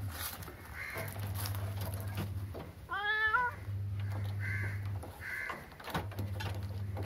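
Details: A single drawn-out, rising-then-falling meow from a cat near the three-second mark, set against a steady low electrical hum and scattered background noise.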